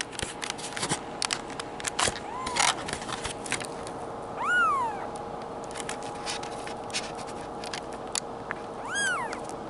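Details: Two-week-old male Bengal kitten from a Madison, Wisconsin cattery gives two thin, high, arched mews, one near the middle and one near the end, while a woman speaks softly to it; clicks and a steady electrical hum underneath.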